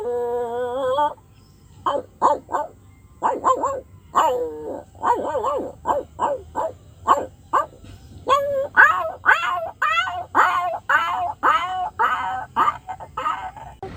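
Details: A dog's funny vocal outburst: a drawn-out whine opening into rapid, insistent barks and yelps that grow louder and denser toward the end, roughly two to three per second.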